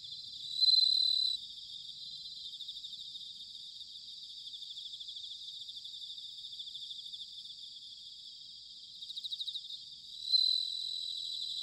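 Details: Bell cricket in autumn, recorded in Sanuki, Chiba, Japan: a loud, pure bell-like ring opens and another closes the stretch, with a quieter pulsed burst before the last, all over a constant high shimmering chorus of insects.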